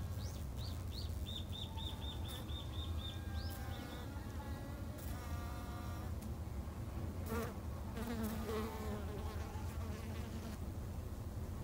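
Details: Garden-kept Japanese honey bees in Japan hum in a thick, low drone while a bird repeats about a dozen quick high notes early on, followed by brief harmonic calls and clicks.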